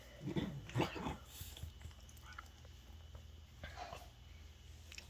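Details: A male French Bulldog, happy while being petted, rolls over for belly rubs and gives low, snorty grunts of contentment.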